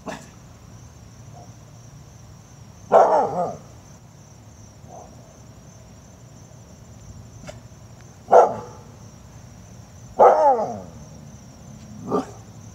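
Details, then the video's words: Siberian Husky puppy yelling at a wheelbarrow in 2017; four loud, harsh barks spaced irregularly several seconds apart, each with a falling growly tail, plus softer yips between and a constant high electronic whine. "husky yells at wheelbarrow"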